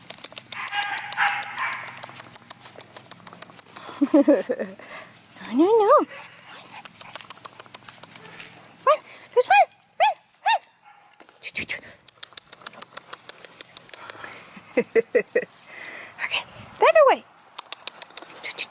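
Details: Siberian Huskies at the Husky Palace breeders, playing, indoors and outdoors: loud swooping vocal calls that rise and fall, in bursts of two or three, with short sharp yelps between, over steady human talking.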